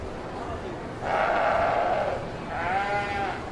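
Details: Domestic sheep giving two wavering, nasal bleats, the first about a second long and the second shorter, against a steady background hiss.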